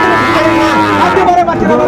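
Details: Sahiwal bull calf at the Ambaghat cattle market in Parbatipur, Dinajpur, Bangladesh, on a Friday market day. A short, rich, harmonic moo lasting under two seconds rises over constant crowd chatter and nearby talking.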